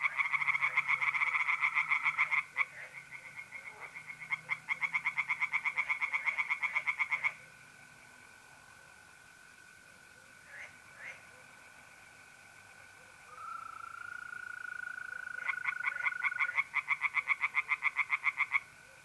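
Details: Night pond in north-east Italy in April: tree frogs give bursts of rapid pulsed croaks, then fall silent for several seconds, leaving the steady, pure trill of mole crickets before the frogs resume.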